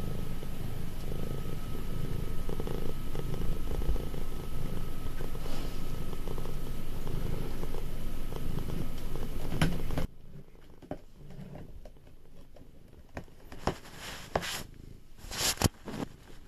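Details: Nearly five-year-old affectionate cat purring close up, a low even rumble for about ten seconds, then it stops and only quiet rustling and a few soft taps remain.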